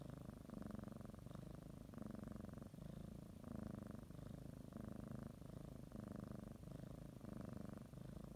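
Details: Cat preparing for a morning nap, kneading a blanket and purring; strong, slightly higher rumbling purr in distinct breath pulses roughly every half to one second, very near and clear.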